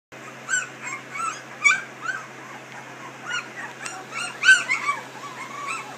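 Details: Three-week-old puppies from a Dixie and Colby litter whimper in short, arched, high squeals, several overlapping callers spaced about every few seconds, with a steady low hum underneath.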